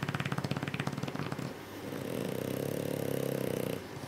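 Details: French Bulldogs Louie and Sophie asleep indoors during spring break, their owners suspecting sleep apnea; quick pulsing snorts give way to a steady droning, buzzy snore.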